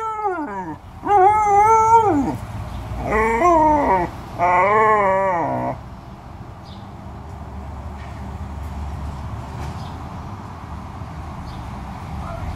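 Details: Alaskan Malamute vocalising in three wavering, talkative howls, each about a second long with sliding pitch, close together, then quiet background.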